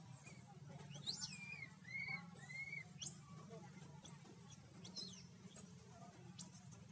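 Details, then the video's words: Frightened infant monkey calling for its mother in a Cambodian jungle, Siem Reap Province: scattered shrill, arching squeaks and a few downward-curving mid-pitched cries, with a constant low rumble beneath. "Oh God, the little baby was so scared that he sought his mother's help...! Primate Monkey"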